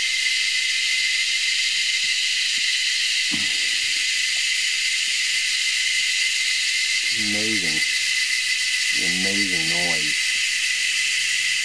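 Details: Cicadas calling at Anstead, Queensland, Australia: a loud, unbroken high-pitched hiss with a steady whining tone, while a man's voice speaks briefly in the background.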